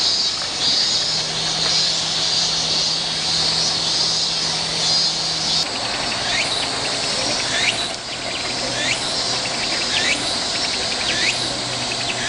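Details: Cicadas heard during a summer walk, a dense continuous high-pitched buzzing chorus, with repeated short rising chirps from another caller joining in the second half and a faint low engine drone.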